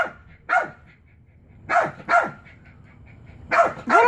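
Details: Male Chihuahua barks at his favourite frisbee stuck on a chair, five sharp, high yaps spaced unevenly over four seconds, the last two close together, with a quiet room behind.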